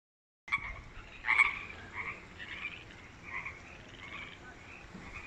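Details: Frogs calling from a newly built artificial creek at Wesbrook Village, UBC, loud after quickly moving in; repeated short raspy croaks from several animals, strongest burst near the start.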